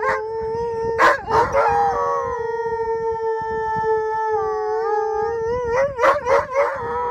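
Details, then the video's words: Siberian Huskies in Regina outside Mosaic Stadium: yipping bursts lead into one long level howl held for several seconds, then more short choppy yips and wavering cries. "Huskies Howling"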